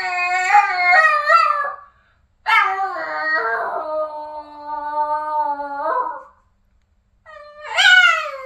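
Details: Boston, a very vocal Boston terrier, gives a wavering high howl, then after a pause a long sustained howl lasting over three seconds with pitch dips, and finally a short rising whine-like howl after silence.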